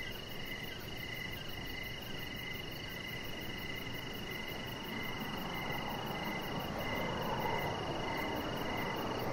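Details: Crickets chirping outdoors in the evening beside a deck where a chihuahua puppy lies under decoration lights; steady rows of short pulsed chirps ring over a fainter rapid high trill, with a constant low rumbling background.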